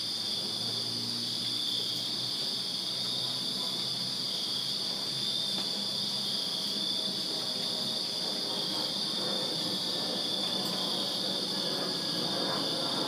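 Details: Crickets chirping in a backyard in Virginia on a summer night, a constant shrill multi-insect trill over a soft low rumble of distant traffic.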